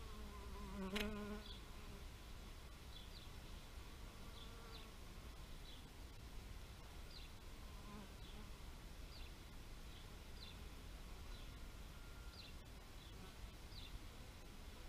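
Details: A bee buzzes past close by near the start, a rich humming tone that swells and fades within a second. A softer hum follows later, while small birds chirp sharply about every second over a low outdoor rumble.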